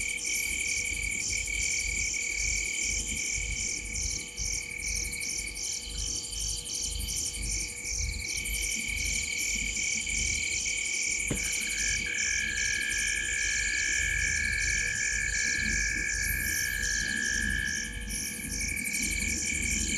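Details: Gowrie dam, Djuma Game Reserve in South Africa's Sabi Sand Wildtuin, 19:33 on 05/07/2023, with frogs sitting in a tree in the corner of the dam: an unbroken wall of high pulsed trills and ringing tones, one sharp click midway.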